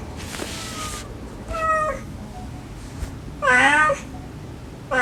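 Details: Mother cat's gentle calls to her kittens mixed with the kittens' pleading cries; a faint thin meow, a short rising one, then a loud bending meow, over hissing background noise.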